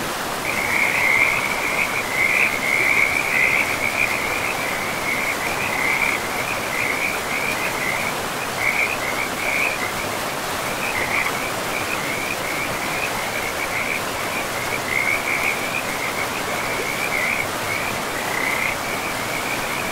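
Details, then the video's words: Frogs along a forest river give a continuous high chorus of rapid pulses, loudest in the first few seconds and then in rhythmic clusters, with the river's steady broadband rush underneath throughout. "River and Frogs sleep sounds"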